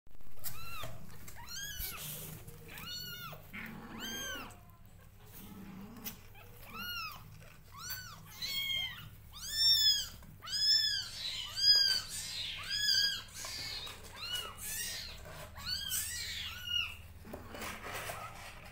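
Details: Kittens crying on seeing their mother nearby: a steady stream of high, arched mews, several overlapping voices, repeated about once a second and growing louder toward the middle, with a low hum underneath.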